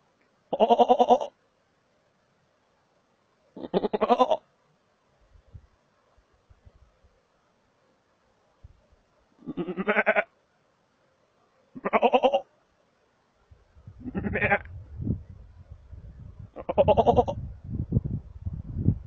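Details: Markhor in Chitral Gol National Park, Pakistan, in a lush green place: six loud, harsh, nasal bleats, each about half a second long, spaced two to three seconds apart, with low rumbling noise under the final two.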